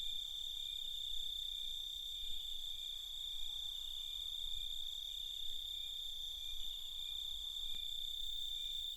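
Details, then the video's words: Crickets at night, a dense chorus: one steady, unbroken high-pitched trill that never pauses, with fainter shrill bands above it and a soft low rumble beneath throughout. "Night sounds of night, mainly crickets"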